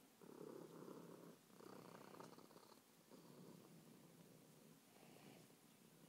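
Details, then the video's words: Meatball, a pet cat described as loud and happy all the time, purring like a lawn mower: a low, rough, pulsing rumble in long phrases broken by brief pauses, with faint higher tones above it. "Meatball imitates a lawn mower"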